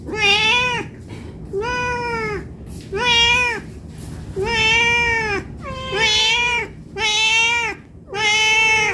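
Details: Hungry house cat asking for food with insistent repeated meows, seven bright nasal cries in under nine seconds, each arching up then dropping at the end, loud and close in a small room.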